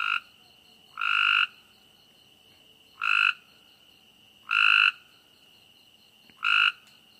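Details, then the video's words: Frog calling at night: loud, harsh croaks with a bright, nasal tone, four calls spaced irregularly about one to two seconds apart, over a steady high-pitched insect trill and a faint pulsing chirp. "night noises"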